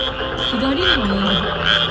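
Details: Frogs call in a dense chorus at night by a rice paddy in Japan in spring breeding season, with pairs mating, a steady wash of croaking with a wavering low hum; wrinkled frogs, Tonosama frogs, Japanese and Schlegel's tree frogs present.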